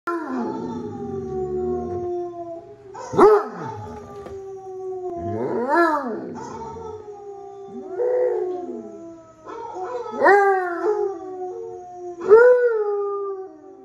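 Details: A male Basset Hound howls back at dogs heard in online videos in long, mournful, wavering notes that rise and then slowly fall.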